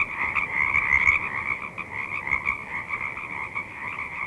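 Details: Frogs croaking and peeping in a swamp at dusk: a dense, continuous chorus of high, trilling peeps in two bright bands, with rapid overlapping pulses and no other clear sounds.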